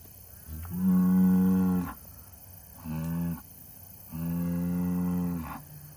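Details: Angus bull mooing three times in quick succession: a long deep moo, a shorter one, then another long one, each steady and rich in harmonics and ending with a brief rising squeak.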